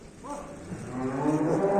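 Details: A cow that has calved once, being delivered to buyers in Manisa, Turkey, gives a long, rising, harmonic moo that swells steadily louder toward the end, with faint voices behind.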